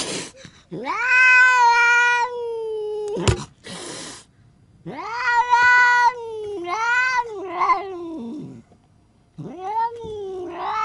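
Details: Crazy angry cat letting out drawn-out, steady yowls that swell and bend slightly, separated by a sharp hiss and short pauses, then a climbing, quavering wail at the end.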